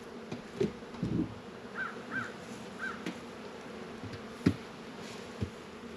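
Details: Honey bees humming steadily around the hives in a northern Kentucky apiary on a mild 72-degree February day, a low drone with occasional thumps and a few faint distant bird calls.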